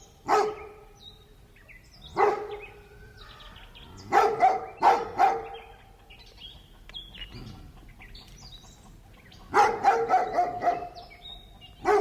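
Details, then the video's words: Distant large dog in a residential urban neighbourhood giving deep, clipped barks, singly and in quick runs of three to five, spaced a couple of seconds apart, while small birds chirp softly in the background. "Distant Large Dog Barking with Residential Charm"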